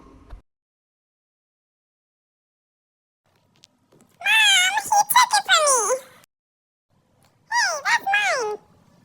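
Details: Indoor squabble between Basset puppies over a stolen toy: a quick string of quavering, high-pitched whines and yelps, each bending upward then down, comes in two separate volleys with a pause between them.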